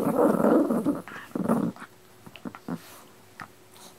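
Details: Two dogs named Pino and Choro indoors; a rough, rumbling growl in the first two seconds, then quieter scattered snuffles and soft noises.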